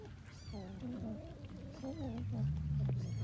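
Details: Cats eating rice with fish; a wavering, drawn-out meow rises and falls over low rumbling background noise, with a few high clinking sounds.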